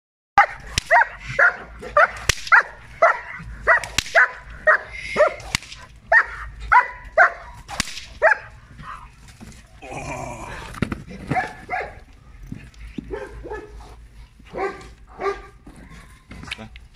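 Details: German Shepherd dog, 13 months old, during bitework training: a run of sharp, regular barks for the first eight seconds, then scattered barks mixed with a man's voice and scuffling noise.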